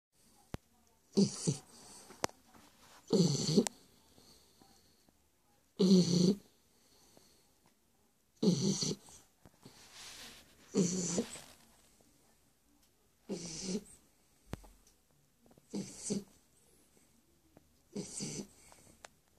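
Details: Shar Pei dog snoring while asleep: rasping, wheezy breaths in broad bursts, roughly every two to two and a half seconds, with a low rumbling core and hissy upper noise, separated by quiet pauses.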